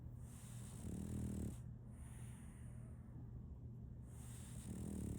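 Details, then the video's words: Solaimy, a sleeping female French Bulldog puppy, snores in a rhythm. Low, throaty snore bursts come near the start and the end, with airy, hissing breaths between them over a faint constant hum. "RONQUIDO de un French Bulldog"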